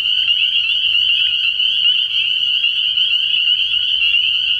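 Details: Massed spring peepers calling at night from a frog pond early in the year; constant piercing high peeping blends into a continuous trilling band, with faint low rumble below.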